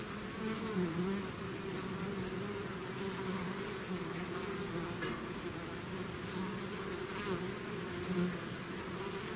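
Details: Bee swarm out of its hive, natural buzzing: a dense, steady low hum with bands near 200 and 400, individual bees' wingbeats wavering and swelling over the drone, no pauses throughout.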